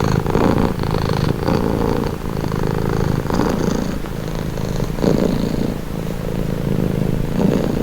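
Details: Calming cat purr, deep and rattling, pulsing with the cat's breathing in roughly one-second cycles, with a few slightly quieter stretches and no other noises.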